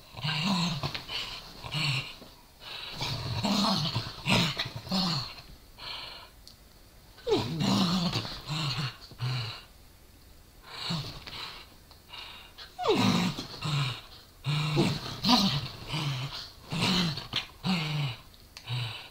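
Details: Two small dogs, a Corgi and a Dachshund, fight playfully over a toy. Snarling growls run almost without a break, mixed with sharp rising yelp-like sounds and breathy rasps, in a small room.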